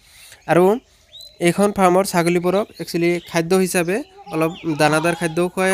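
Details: Farmed goats at M. R. Goat farm, Abhayapuri, Bongaigaon district, Assam: loud tremulous bleats in short clustered bursts, one sharp cry first, then a dense series of wavering calls.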